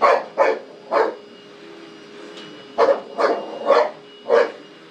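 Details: A dog barking at a vacuum cleaner: eight sharp, mid-pitched barks in two bursts, three fast barks at the start, then a pause of over a second before five more in quick succession, with a faint steady hum behind.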